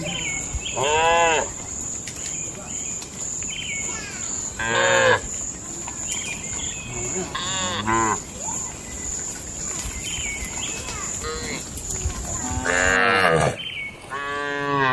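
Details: Barn-kept tame cattle lowing during daily feeding and gathering in the pen; several short, separate moos scattered across the stretch, over a constant thin high whine and low farm rumble.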